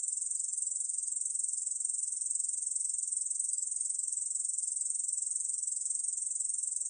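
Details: Unbroken stridulation of a Korean bush cricket, recorded by the National Institute of Biological Resources in 2020: a high, hissing buzz with a fast, even pulsing texture that runs without a break for seven seconds.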